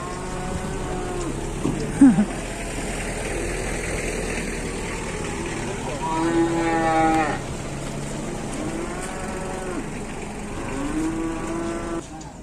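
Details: Angry bulls fighting in Indonesia: a series of deep, harmonic moos spread over twelve seconds, the loudest a long bellow around the middle, followed by two shorter moos, over low rumbling noise and a brief thud early on.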